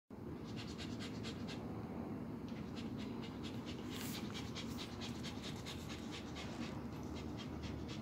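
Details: Aryan, a three-month-old male mixed-breed puppy rescued from the street in Damansara Damai, Selangor, Malaysia, awaiting adoption, pants in quick, steady breathy pulses, several each second, with a brief louder hiss midway.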